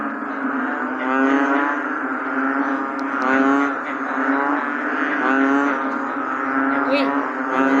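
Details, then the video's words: Calling on a rainy day, an American bullfrog gives a low, humming, twangy drone that swells and fades roughly every two seconds, with buzzy layered overtones and occasional faint clicks. "The Bullfrog 🐸during rainy days.🌧️"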